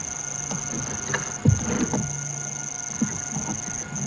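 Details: At sunset at Djuma and Arathusa in wild Africa, with a pack of wild dogs resting near a dam wall, cicadas keep up a steady, high, unbroken buzzing drone over low thumps, rumbling noise and faint distant calls.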